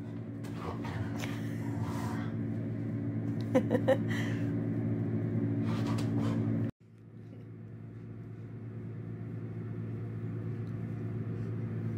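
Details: A steady low mechanical hum fills an indoor space, with a few brief faint voices and clicks, and no animal calls.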